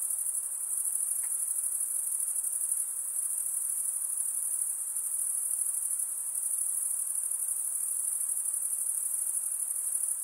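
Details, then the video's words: A night chorus of insects keeps up an even, piercing high trill with rapid pulses; a brief faint click sounds early on, otherwise only soft background noise. "night insect sounds"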